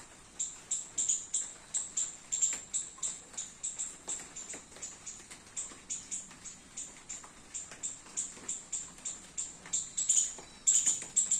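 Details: Squirrel in a home garden, calling while eating baby coconuts in the rain; a steady series of sharp, very high-pitched chips, about two per second, runs through the whole stretch, with a louder burst near the end over a soft wet background.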